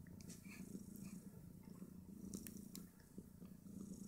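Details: Snowshoe Siamese mother cat nursing her five two-day-old kittens as they jostle for teats; a continuous low, rumbling purr fills the clip with soft shuffling noises and no distinct squeaks.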